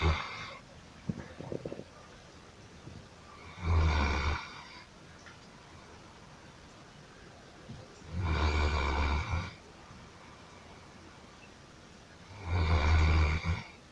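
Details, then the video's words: Sleeping dog snoring steadily, with three long, harsh, rattling snores arriving roughly every four and a half seconds, separated by quiet breathing pauses. "храп собаки"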